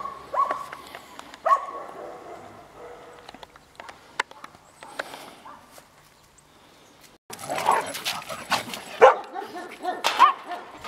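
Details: Bella, a Golden Retriever up for adoption, barks a couple of times early on, then goes quiet before a louder cluster of sharp, uneven barks fills the second half.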